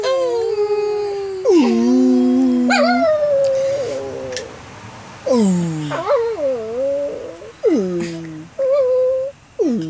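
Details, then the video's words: A dog singing indoors: a run of drawn-out, tonal howls and whines that glide up and down, each lasting one to two seconds with short pauses, ending in brief rising yelps. "Dog singing"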